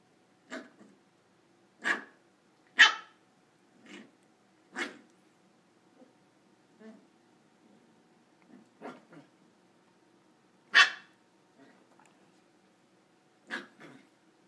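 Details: Corgi puppy playing on a couch indoors gives about nine short, sharp yaps and barks at irregular intervals, with softer grunting sounds in between. The room is otherwise quiet.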